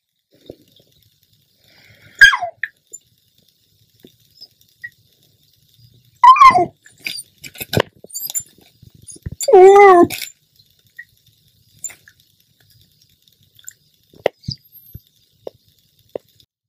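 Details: Pet dog, a female, begging her owner for chips while seeming to hold a conversation: a few wavering, rising-and-falling whines and short yelps spread across the clip, mixed with a woman talking indoors.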